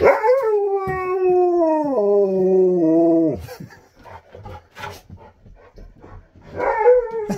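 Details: Husky howling in long drawn tones that step downward in pitch over about three seconds, then a pause with quiet rustling before another rising howl begins at the end.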